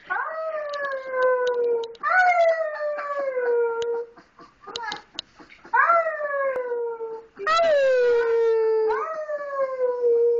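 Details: Misun, a baby wolf pup whose name means "little brother", one of four pups taken in together in 2010, giving his first howls: five clear, falling wails, each starting near a high note and sliding down over about two seconds, with short gaps between.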